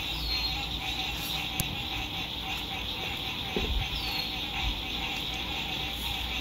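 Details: Sunset frog chorus beside a lake in spring 2021, fair weather at a lakeside campsite: steady high-pitched trilling fills the air, a couple of falling whistled notes, faint distant traffic rumble and a few knocks from nearby movement.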